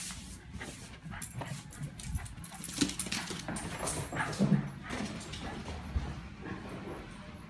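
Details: Pet Lakeland Terrier named Berkeley going wild with joy when the owner comes back into the room: brief low whimpers and grunts near three and four and a half seconds over constant panting, shuffling and scratching paws.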